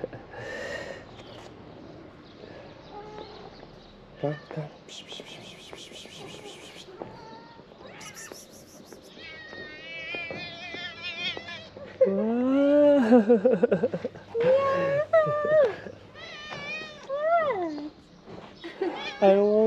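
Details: Hungry ginger cat lingering at a car, asking for food: after a stretch of mixed noise and beeps, loud, wavering, rising-and-falling meows come in quick succession near the end, with a person speaking nearby.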